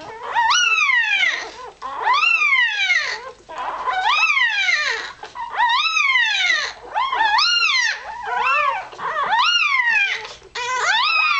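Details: Newborn Irish Terrier puppy, a few hours old, seeking warmth and milk, squealing steadily: high, arched, piercing squeaks repeated roughly every second, strongly rising and falling in pitch, with soft rustling between them.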